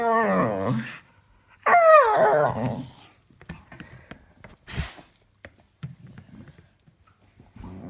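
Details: Pet dog making funny noises indoors: two loud bursts of wavering, whining and groaning harmonic vocal sounds in the first three seconds, followed by quieter snuffling and breathy noises.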